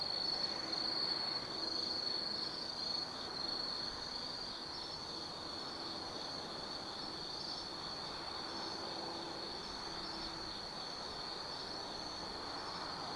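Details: Autumn insects chorusing at night in Tsukimi no Mori, Nanno-cho, Kaizu, Gifu, Japan, heard from a lookout over 180 m above the Nobi Plain; a steady shrill high trill with faint pulsing over a broad hiss of distant traffic.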